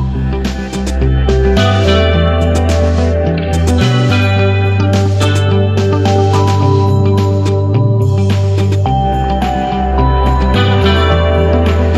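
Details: Guitar-led music with a steady, pulsing bass line plays throughout.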